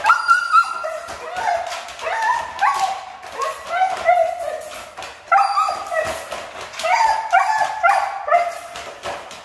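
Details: Siberian husky, noted as difficult to train, talking back in continuous wavering whines and yelps, pitch sliding up and down in repeated rhythmic phrases every second or two.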